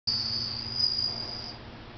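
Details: A bell cricket kept at home in summer rings out a clear, high, sustained trill that slowly fades.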